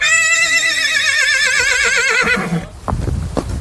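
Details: Marwari horse giving a loud, long whinny lasting over two seconds, high and quavering with a rapid vibrato, fading into lower snorting breaths and a few thuds.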